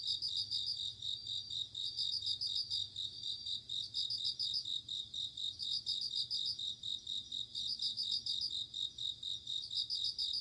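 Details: Bell cricket calling on an autumn night, clear high pulsed trills in short bursts separated by one- to two-second pauses, over a steady shrill insect chorus.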